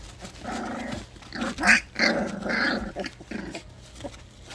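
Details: Two orphaned four-week-old puppies, hand-raised since one week old, playing before bath time: rough, harmonic little growls and grumbles in uneven bursts, with a sharper, louder squeal near the middle, in a small indoor space.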